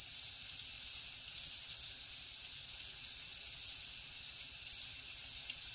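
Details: Crickets chirping after dark in a jungle: an unbroken high-pitched trill with soft, uneven pulses layered over it, growing slightly louder toward the end.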